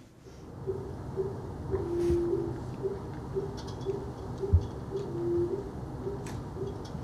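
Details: A blue whale about 60 miles off Long Island, played 20 times faster than life, gives a drawn-out, owl-like hoot twice over the sea's rumble, while a fin whale pulses regularly in the background, about twice a second.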